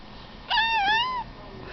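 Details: Pet cat meowing while chatting with its owner at home: a single drawn-out meow of about 0.7 seconds that rises slightly, dips, then rises again, with clear harmonics, between stretches of the owner's talk.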